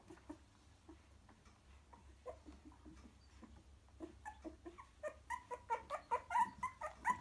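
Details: Three-week-old cockapoo puppies in a nest, coming to their mother and settling, give thin whining squeaks and little yips, quiet at first, then building into a steady run of louder cries over a faint low hum in a small room.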